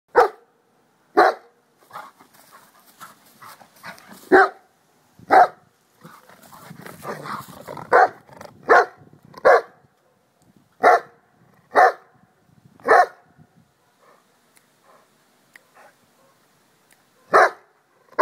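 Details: An excited schnauzer barks in short sharp bursts, about a dozen loud barks spaced irregularly one to two seconds apart, with a stretch of quieter scuffling and growly noise in the middle.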